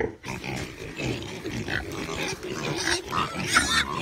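Pigs grunting steadily, with harsher squeals breaking through now and then.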